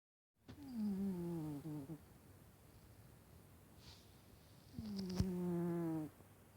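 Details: Vaska, a sleeping pet cat, snoring loudly: two long, droning, slightly buzzy snores, each about a second and a half, pitched low with stacked overtones and sliding slightly downward, separated by quiet breathing, with a brief click near the end.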